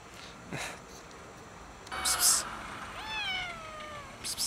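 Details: Hungry loaf-sitting cat hiding before eventually being fed. One clear, drawn-out meow falling in pitch lasts about a second near the end, after short hissy bursts and a brief rustle; faint background noise throughout.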